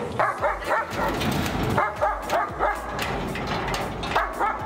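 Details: Dog, with a German Shepherd and a Golden Retriever named as companions, giving a run of sharp, rapid barks about three to four a second, steady and insistent, with background noise throughout.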